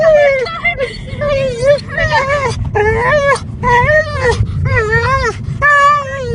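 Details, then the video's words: Dog crying inside a car: a run of high, wavering whines and yelping moans, each rising and falling, coming in bursts about every half second to second, over steady low road and engine rumble. "Dog 'crying' in car!!!!! Weird sound!!"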